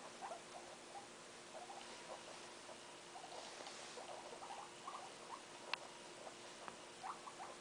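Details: Guinea pig family with one-day-old young, indoors: soft, short squeaks and chirps come in scattered bursts throughout, a few sharper clicks, over a steady low hum.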